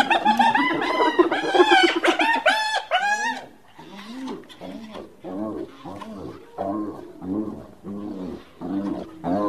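A hyena gives a burst of high, wavering cries, then a steady run of short, rising-and-falling yelps.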